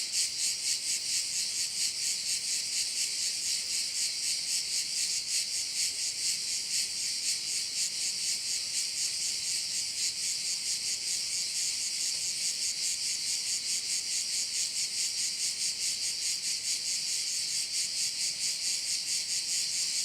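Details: Crickets on Korčula, looking over one of its bays: a continuous, bright, high buzzing mass with a regular pulsing beat of about two per second. Nothing else stands out.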